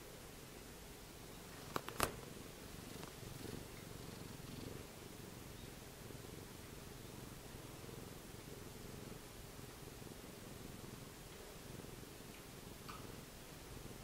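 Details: Domestic cat held and hugged like a clinging doll, purring in a soft continuous low rumble, with two sharp clicks around the second second.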